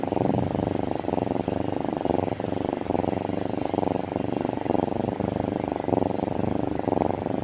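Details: Happy kitten purring close up: a rapid, even, rumbling throb that continues without pause.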